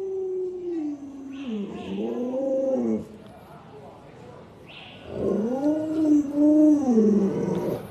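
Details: Pet Alaskan Malamute Luoluo, which looks after a young child, makes two arching, yodelling howls. Each rises and falls in a wavy "woo-woo" pattern, separated by a quieter pause, with people talking nearby.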